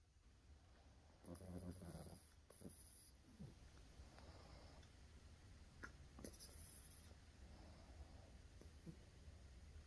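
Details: Female Yorkshire Terrier asleep indoors with her eyes open, breathing in soft, low snoring rasps and snuffles, with a few louder breathy bursts spaced unevenly across the quiet recording.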